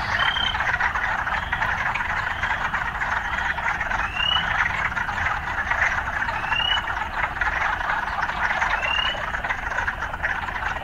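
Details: Urban frogs calling amid occasional city sounds: a dense, steady buzzing chorus with bright rising chirps every couple of seconds above it, over a low traffic-like rumble throughout.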